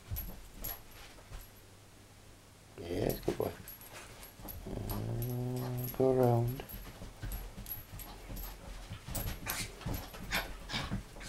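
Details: Pet dog playing with a laser pointer, enjoying himself; a man praises and encourages him while the dog gives a drawn-out, wavering whine with rising and falling pitch, followed by scattered clicks and room noise.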